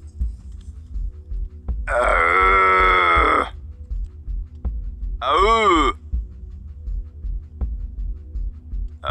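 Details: Red deer stag roaring in rut time during a hunt: a long, loud, hoarse bellow, then a shorter roar that falls and rises, over a pulsing low musical throb.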